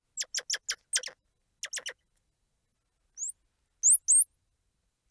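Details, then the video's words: A rapid run of about seven sharp, clicky chirps from a squirrel monkey. After a pause come a few high squeals that sweep upward, repeated close together. "Squirrel Monkey Sound | Squirrel Monkey Squeals | Squirrel Monkey Noises | Squirrel Monkey Chirps"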